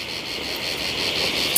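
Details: Many insects calling at a seating spot in front of a homestay near a waterfall in Sonada, Darjeeling: a shrill, continuous buzzing that pulses in short regular beats, over a broad rushing background.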